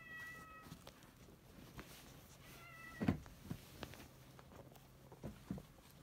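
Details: Rescued odd-eyed white cat Shaorin, resting on a lap, makes two soft, brief, level meows early on amid low purring and occasional bumps and rustles of movement.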